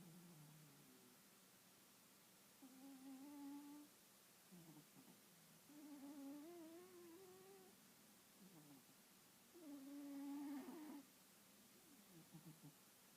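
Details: Lynx and Apollo, two cats curled up in a cuddle, give soft tonal snores: steady humming notes with faint overtones, about one breath every four seconds, separated by quiet gaps in a small room.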